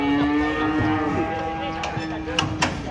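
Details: Cattle being unloaded from a truck: a low, drawn-out moo with steady pitch over about a second, then fainter lowing, with people talking, clattering knocks and vehicle rumble behind.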